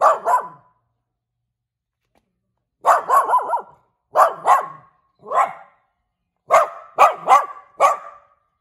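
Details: Little house dog giving repeated sharp, high-pitched barks indoors, clustered in rapid doubles and triples after a short silence, ending in a fast volley of yaps.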